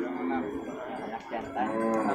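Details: At the Purwakarta animal market in Indonesia, 15 July 2024, a cow lows continuously with a steady, harmonic voice over market chatter and a man's voice.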